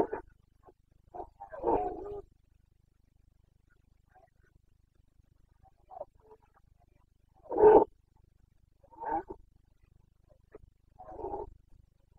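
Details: Carpathian stag of Bucovina, Romania, during the breeding season rut; a series of short, hoarse roars and grunts at uneven intervals, varying in loudness, with quiet gaps between bursts.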